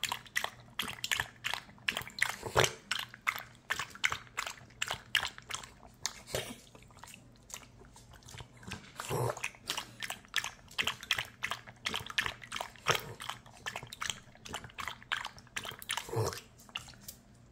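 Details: Puppy drinking water at length, the lapping fast and steady at about three licks per second, crisp wet clicks with occasional heavier sloshing gulps, indoors with a faint low hum behind.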